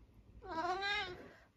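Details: Long-haired tabby tomcat Eric, nearly 12, at home in the UK in October, gives one gentle drawn-out meow with a steady rich harmonic stack, lasting about a second, in a quiet room.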